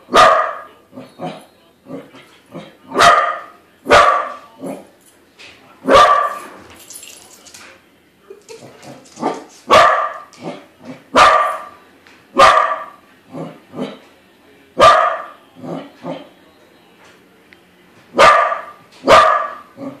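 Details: Domestic Corgi reacting to a balloon corgi it takes for real, barking persistently: a long series of crisp barks, sometimes paired, interspersed with faint whines and small yips over twenty seconds.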